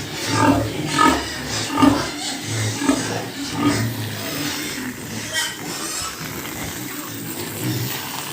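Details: Pigs on a pig farm where sows with piglets are kept, giving short low grunts about once a second, rising and falling in loudness, with a faint voice in the background.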